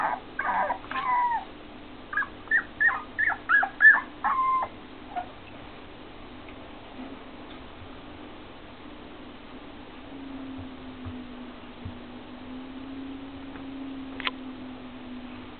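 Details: Four-week-old Keeshond puppies whimpering: a quick run of about eight short, high, harmonic yelps and whines packed into the first five seconds, then near quiet with only a low steady hum.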